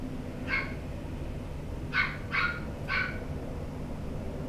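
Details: A white male Toy Poodle gives four short, sharp high yips, one alone and then three close together, over a steady low rumble of background noise.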